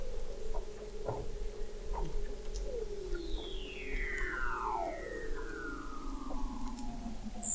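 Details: Under the thick sea ice of McMurdo Sound, Antarctica, a Weddell seal gives a long downward-gliding whistle, faint and drawn out over several seconds, set against a steady low hum and scattered ticks; hydrophone recording from November 2017 at 21 m depth.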